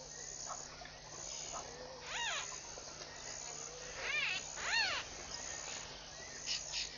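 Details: Baboons at Pete's Pond waterhole, Mashatu Game Reserve, Botswana, on the morning of 7 November 2013; three short arched, tonal calls rise and fall over a steady high insect chorus, with faint softer calls between.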